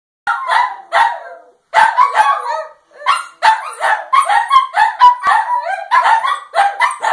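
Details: Two dogs, Gizmo and Scamp, barking at the moon: rapid, sharp, high yappy barks in quick overlapping bursts of three or four per second, broken by two brief pauses.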